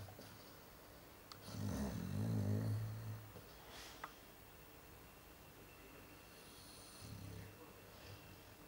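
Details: Sleeping Chow Chow dog snoring indoors: a loud, low rumbling snore swells and fades over about two seconds, followed by quiet breathing and a second, softer snore near the end.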